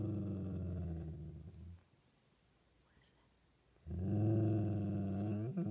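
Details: Deep rumbling growls from a dog, one fading out early and a second starting after a two-second quiet spell, rough and steady in tone.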